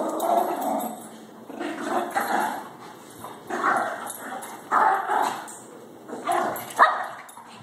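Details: Shih Tzu Baxter and Labrador Harley fight over a shared toy late at night, trading gruff growling bursts and sharp bark-like yaps that rise and fall roughly every second or so.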